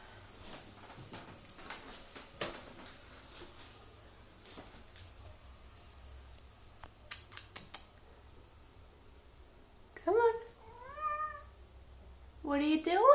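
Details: A male house cat perched up high indoors, refusing to come down. Faint clicks and rustles fill most of the stretch, then two clear harmonic meows arrive near the end: one arching up and down, then a short rising one.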